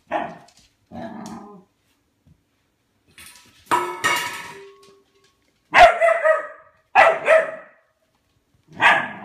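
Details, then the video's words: Albert, a pet dog, barking at his food bowl in hope of food: seven or eight sharp barks in bursts, some paired, with quiet gaps between, in a small indoor space. "Albert barking at his food bowl."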